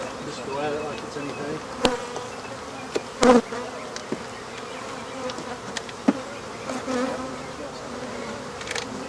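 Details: Quieter steady hum of African honey bees as the rest of their hive is removed, with occasional sharp thumps and clicks breaking through the drone.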